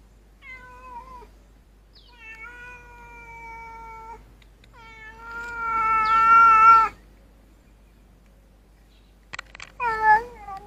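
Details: Street cats, including two orange cats and a Siamese, eating and sharing food together outdoors; a series of drawn-out harmonic meows, some long and steady, one louder wavering cry near the middle, then short sharp sounds and a final rising-falling meow.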